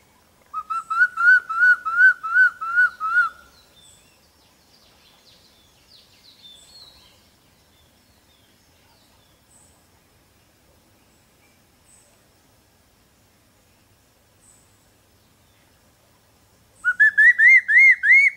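Bright, harmonic whistles from a capuchin monkey come in a fast series of arched notes, about three per second. A quiet pause follows before another burst of the same rising whistles.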